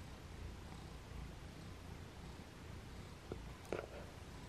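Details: Domestic cat purring quietly indoors, a steady low rumble throughout, with two brief sharp clicks near the end.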